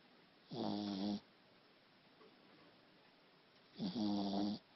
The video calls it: Little Shih Tzu Snores